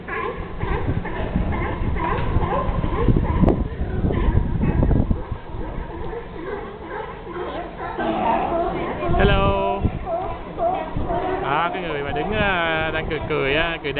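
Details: California sea lions at Pier 39, San Francisco, bark in a hoarse, honking chorus in autumn 2006 while people chat nearby.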